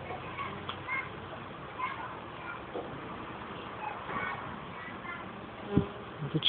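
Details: Western honey bees clustered at the hive entrances on a July evening while lime trees still flower; a low continuous hum with brief louder buzzes of passing bees and a few clicks near the end.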